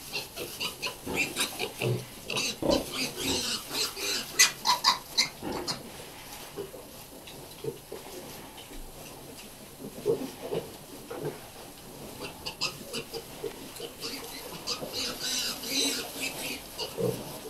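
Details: Hampshire x Pietrain weaner piglets, bred from a Hampshire cross sow and a pedigree Pietrain boar, grunting and squealing in rapid, irregular bursts, with a quieter stretch midway before the noisy grunting resumes.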